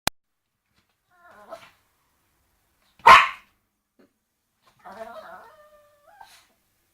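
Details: Dog barking at a bone indoors: one sharp, loud bark in mid-clip, flanked by faint low growling rumbles before and after, with a short thin whine near the end.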